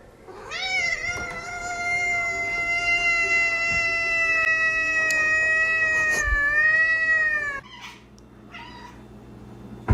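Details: Domestic cat giving one long, drawn-out meow lasting about seven seconds, held at a steady, slightly nasal pitch with a small dip near the end, then quiet room noise.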